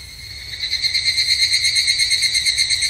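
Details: Evening cicada at a Japanese temple in summer, evening: a high, shimmering trill of rapid pulses that starts quiet, then rises sharply in loudness after half a second and holds steady with a slight wavering throb.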